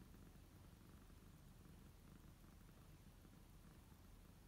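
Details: A steady, even purr from kittens lounging in their own beds, Hinoki kneading; a deep rhythmic rumble fills the whole stretch with nothing else clearly audible.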